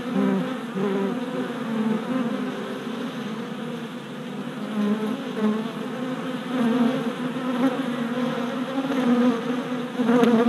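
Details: Worker honey bees making orientation flights at a new deep hive, four days after a package was installed, 27 April 2017, recorded on a GoPro Hero Session 5: a dense, continuous buzzing hum of many bees with wavering pitch, swelling and fading as bees pass.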